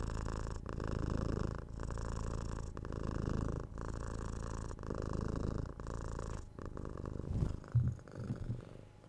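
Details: A house cat purrs continuously near the microphone. The deep, buzzing rumble rises and falls with each breath, roughly once a second, and ends with a faint rustle near the finish.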